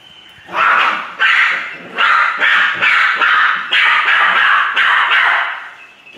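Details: Poodle barking in a rapid series of about ten loud, harsh barks, each short and bright, following one another roughly every half second with little pause between them.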